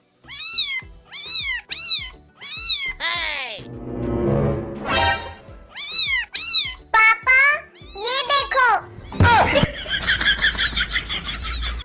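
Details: A cat concealed in a scooter repeats short bent meows in quick runs, mixed with people talking and background music.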